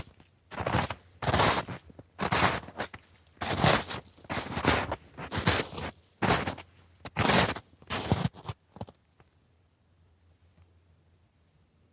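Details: Crunching, scraping bursts like footsteps on snow for about nine seconds, then near silence; no animal call.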